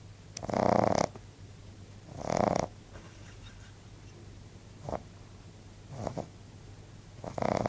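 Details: Snoring from Bon, a sleeping male Frenchbo pup aged 14 weeks. Two long, harsh, rattling snores open the stretch, then shorter, fainter snuffles follow at uneven gaps.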